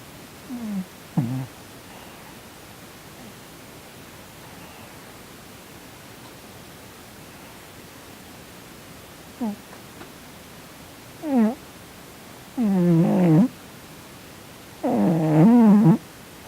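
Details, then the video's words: Domestic cat Sonny asleep indoors, snoring and twitching as if in a nightmare, lets out brief low squeaks that build into longer wavering whimpering moans, each lasting up to a second, in a quiet room. "Cat Twitching and Snoring in his sleep - 코골면서 경련하는 고양이"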